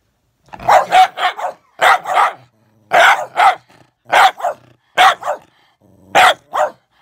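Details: Bedlington whippet against a Patterdale: rapid bursts of harsh barks, often doubled or tripled, roughly once every second, with a faint growl between.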